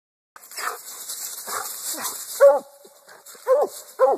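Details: Black and tan coonhound; treeing bay; announcing quarry treed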